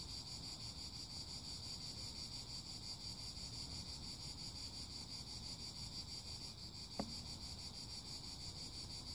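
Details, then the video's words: A continuous high-pitched cicada drone pulses rapidly and evenly over soft low rumble, with one brief sharp click near the end. "Song CHANT CIGALES - CICADAS"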